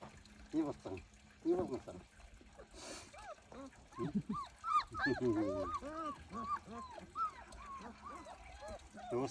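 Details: German Shepherd puppies, several calling at once: high, arched squeals and whimpers crowd the second half, rising then dropping in quick succession, after human speech and a brief splashing noise early on.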